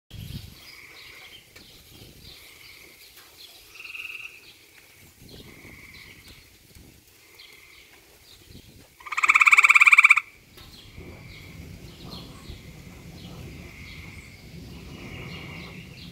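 A frog calls to attract a mate, making soft, high, nasal notes repeated every second or two. Midway comes one loud, rasping croak lasting about a second, rich in overtones.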